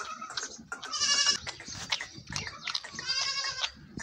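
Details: Domestic goat during milking, giving two quavering, nasal bleats with a strong harmonic ladder and vibrato. The first comes near the start, the second a couple of seconds later, with softer rustling noises between them.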